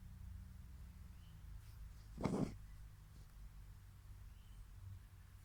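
A fox gives one short, harsh yelp against a low, steady background hum.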